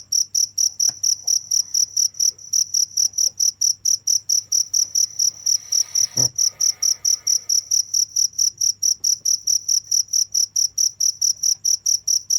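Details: Crickets chirping steadily without pause, a sharp high-pitched pulse repeated about four times per second in an even rhythm, with a faint low hum beneath and one brief dull thump midway.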